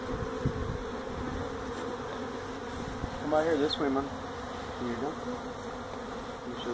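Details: Honey bees from a feral hive built inside a tractor tire at a citrus orchard in Mission, Texas, being removed: a continuous low, even buzzing of a large colony, with a brief human voice near the middle.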